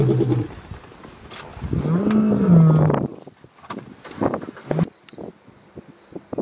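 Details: Male lion in Kruger National Park, South Africa, caring for the pride's cubs while the lionesses are away hunting. A drawn-out, low moaning call rises and falls, followed by softer scattered sounds and a few short low grunts.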